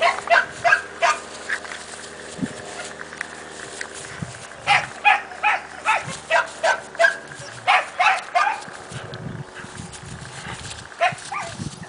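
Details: Playtime at the kennel for Cassia and Disco, two Siberian Husky puppies aged four months: quick high yapping barks in clusters of three to five, fast and excited, with lower rough growly sounds between the bursts.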